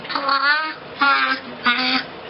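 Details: A young grey seal imitates the Star Wars theme, showing it can distinguish the pitch of notes: three sustained, slightly wavering tonal notes, the first longest, with brief pauses between them.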